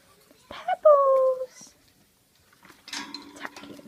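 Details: A pug puppy, head-tilting at a person's funny sounds, gives a brief, high, slightly falling whine, followed by muffled voices and household noise.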